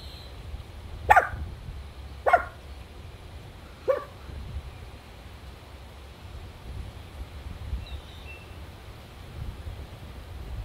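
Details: A female Chihuahua barking at a turtle: three sharp, high, separate barks about a second apart, then quiet background with faint rustling.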